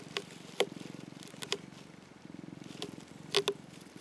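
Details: Mac, an affectionate orange tabby rescue cat, purrs while sunbathing; a low pulsing rumble runs through most of the clip, broken by a few sharp clicks and taps.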